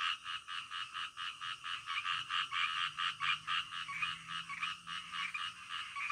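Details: Frogs calling in the middle of the night, a dense chorus of rapid, pulsed croaks repeated about three to four times per second, each a raspy burst in the mid-to-high range, overlapping continuously with no other sounds.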